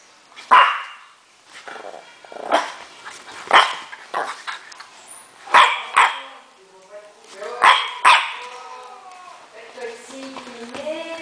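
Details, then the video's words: Furious French Bulldog Natron gives loud, raspy single barks spaced irregularly, about one every second, followed near the end by higher, wavering whine-like tones and a human voice. "natron FURIOSO"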